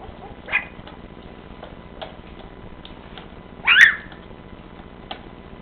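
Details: Golden Retriever puppies taking their first steps: one short, high, rising whine stands out midway, with a fainter squeak near the start and soft clicks and shuffling in a quiet room.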